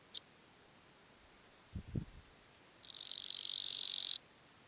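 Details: Calling song of the bush-cricket Gampsocleis schelkovnikovae, recorded at Letea, Romania, on the night of 11–12 September 2012: after a brief click and a few low thumps, one loud, very high, hissing buzz lasts about 1.3 seconds, swelling toward its end.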